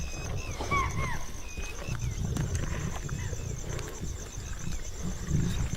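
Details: Wild Asiatic lions of a pride in India's farmland growl in deep, rumbling bursts while crowding over a spotted deer kill, with a narrator speaking over them.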